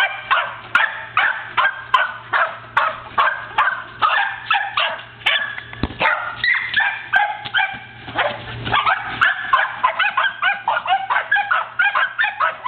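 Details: Two pet corgis playing with a ball, herding and pushing a basketball around; rapid repeated sharp barks, a couple each second, continuing steadily with brief thuds in between.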